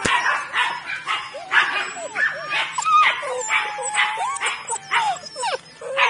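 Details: Weimaraner puppies, five males and four females born 23 June 2017, mixing high squeaky yips with long wavering whimpers that bend up and down in pitch, several pups vocalising together.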